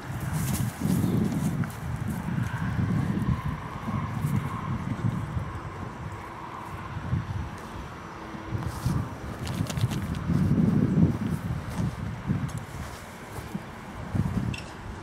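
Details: Percheron cross horse moving in a paddock, recorded July 20, 2013; low, irregular thudding hoofbeats come in bursts, with a faint steady background hum and occasional wind noise.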